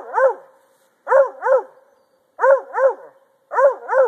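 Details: Male Treeing Walker Coonhound barking while treeing, a pastime he would keep up for hours; strong, harmonic bawling barks come in pairs, roughly every second, with short silent gaps between bursts.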